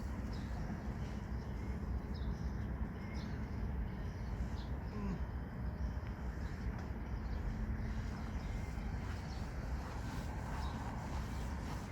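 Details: Steady low rumbling of passing vehicles or a train dominates, with faint broadband outdoor noise and no clear animal calls.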